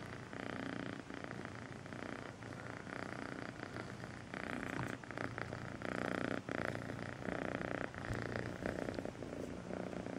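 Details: Melissa, a young kitten, purrs sweetly, a continuous throaty vibration made of quick, even pulses that swell and ease in slow cycles, louder in the second half, with faint close handling rustles.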